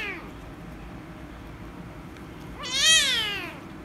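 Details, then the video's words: Loud angry meow from a rescue kitten reacting to petting: a short fading cry at the start, a quiet pause, then one strong rising-then-falling wail lasting under a second. "The Rescue Kitten Angry And Meowing Loudly If I Pet Her"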